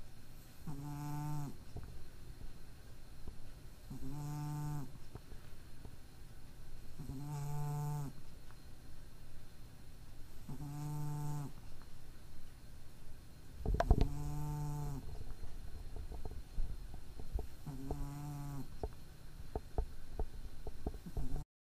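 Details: Slumbering cat whose nose is slightly impaired snores rhythmically: seven nasal, harmonic snore tones spaced about three seconds apart, with a brief rustling thump midway and small clicks near the end.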